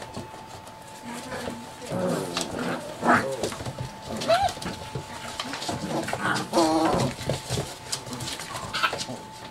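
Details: Seven-week-old chocolate Labrador Retriever puppies playing roughly together as a litter: scattered high yips and whiny cries with harmonics, strongest near the middle and end, over a background of scuffling, growly mutters and a steady faint hum.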